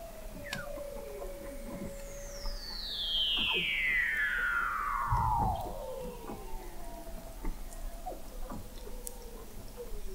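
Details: Weddell seals recorded in November 2017 from the McMurdo Oceanographic Observatory, 21 m below the sea ice in McMurdo Sound, Antarctica; a long gliding call sweeps steadily downward over several seconds, with other faint descending whistles and clicks around it.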